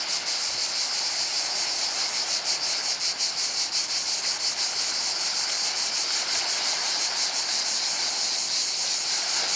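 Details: Cicadas by the sea at Portonovo give a continuous shrill, high buzz with fast pulsing throbs throughout, steady and loud, a soft wash of background noise underneath.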